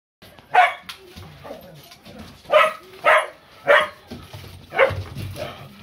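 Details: Rough Collie butting into a play fight between two other collies, giving sharp, short barks, six in under six seconds, irregularly spaced, with scuffling sounds between.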